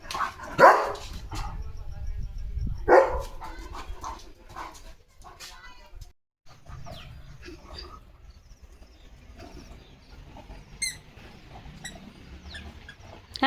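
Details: German Shepherd Leo, a household pet, barks twice near the start while a parcel is opened, then quieter rustling, a squeaky toy and speech follow.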